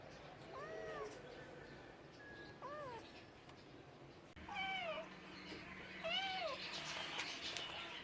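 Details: Cat giving a series of arched meows, some short and some drawn out, rising then falling, with several overlapping, over a rushing background noise.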